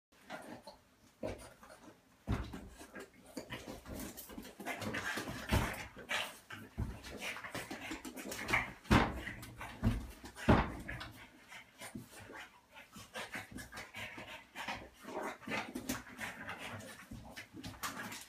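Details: French Bulldog, a 35 lb male, playing rough indoors with a smaller 25 lb female dog; bursts of snorting, grunting growls and scuffling, uneven and broken by short pauses.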